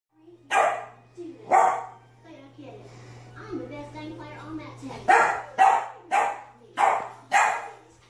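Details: Two puppy barks, then a quieter pause with faint whining, followed by a quick run of six sharp yaps over a steady low electrical hum.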